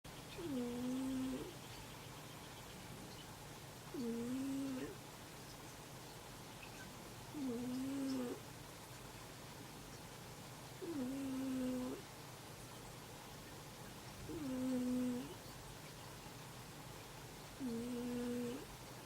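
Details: A sleeping cat named Ameta snores while another cat, Hanu, sleeps snuggled against it. Six soft, tonal, nasal snores sound about every three and a half seconds, each lasting roughly a second, over a quiet background.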